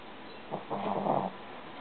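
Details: Shishi, a young female Shih Tzu, snores in her sleep at home; a single rattling, buzzy snore lasting under a second, with quiet room noise around it.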